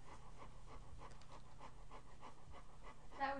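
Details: Yellow Labrador Retriever, pregnant, resting on a couch as she is stroked under the chin; even, rhythmic panting at roughly three breaths a second, then a brief burst of a man's voice near the end.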